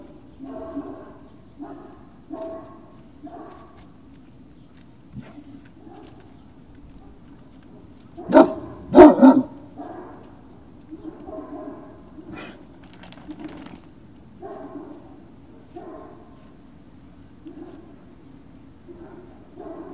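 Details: Great Danes at Puppy Hill on the evening of 19 February 2019: soft, repeated yelping barks at irregular intervals over a low steady hum, with two sharp, louder bursts in the middle.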